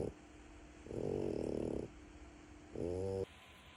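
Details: French Bulldog puppy snoring: one long, rough, buzzy snore of about a second, then a shorter harmonic snort-like snore, with a steady faint hum in the background.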